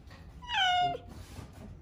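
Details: A single clear, tonal meow, rising briefly then sliding down and fading, from Jin, a male cat in Paraguay, on the day of his neutering surgery, in a quiet setting.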